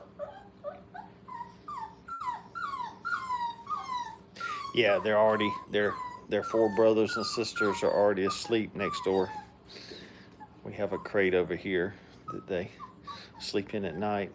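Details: Kennel puppies five weeks old, having fun while playing, let out a quick run of short falling yelps and whines for about four seconds, then human voices take over, mixed with further squeaky puppy cries indoors.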